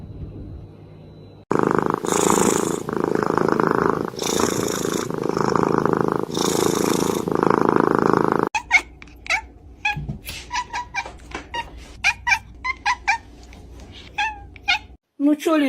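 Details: A domestic cat purring loudly in steady, rhythmic bursts for about seven seconds, then a run of short, sharp clicks and taps with brief pauses between them.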